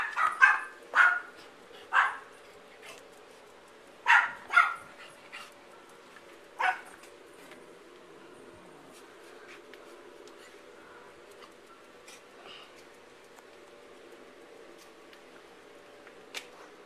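A Yorkshire Terrier gives a run of sharp, high barks, then falls quiet.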